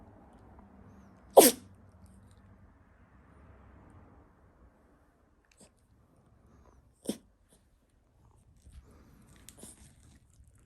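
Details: Toy poodle sneezing many times as it shows its belly for a rub: one loud, explosive sneeze early on, then a softer sneeze and a faint snort a few seconds later, in a quiet room.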